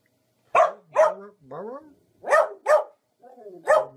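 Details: Barking dog with loud, rough barks in uneven pairs, each followed by a softer, falling, whine-like tail, six calls in about four seconds.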